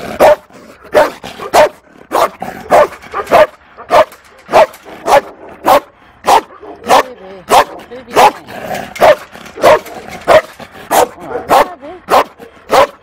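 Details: Long run of about twenty sharp barks, nearly two per second with a steady rhythm, from a timid female Malinois held at the Toulouse SPA shelter in April 2014.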